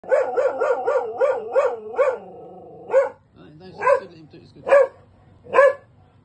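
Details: Benji, a labradoodle living in a busy multi-occupancy home, barks to protect his family and home: a fast run of seven harmonic, rhythmic yelping barks, a brief pause, then four single loud barks spaced about a second apart.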